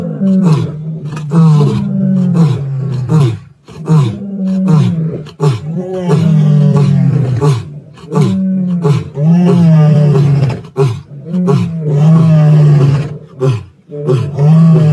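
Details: Male lions at Plains Camp, Sabi Sands, on 9 April 2024 give deep, powerful moaning roars repeated in a steady series.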